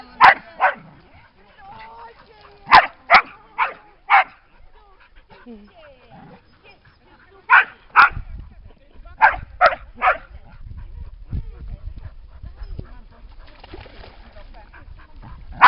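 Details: Dogs barking beside a lake at Lida Nature Reserve on a summer day: short, punchy barks in bursts of two to four, separated by pauses, with faint background chatter.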